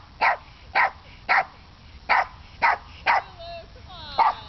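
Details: Pet dog Lulu gives six sharp barks at steady half-second spacing, then a person's voice coaxes softly over the last seconds, with one more bark near the end.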